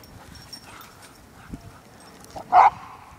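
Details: A dog at play lets out one short, sharp bark after a quiet stretch of faint background noise and soft taps.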